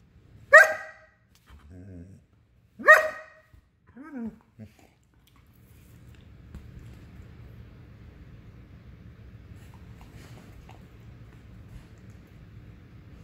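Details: German Shepherd wanting to play, barking twice sharply about two seconds apart, with a few lower whining, grumbling sounds between, then a quiet indoor hum and faint low rumble for the rest.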